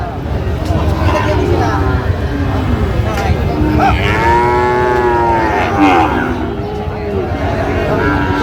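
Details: Sahiwal breed bull calves for sale at Raniganj market, Gazipur, 7 August 2025. A long, wavering moo swells near the middle and lasts about two seconds. Men bargaining over prices and general market din surround it.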